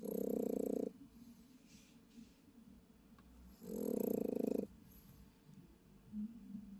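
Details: Japanese Chin snoring while asleep during an overnight stay in a car: two loud, rough, buzzy snores about three seconds apart, each lasting roughly a second, with quieter breathing between.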